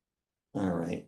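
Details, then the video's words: A California sea lion gives a single low, rough, hoarse, dog-like bark about half a second long, heard in the background while wintering gulls preen and bathe. "California sea lions in the background."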